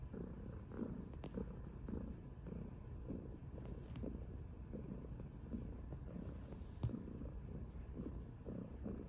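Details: Purring from a chubby orange tabby cat that loves cuddles: continuous low rumble in rhythmic pulses about every half second, a few light ticks and rustles over it.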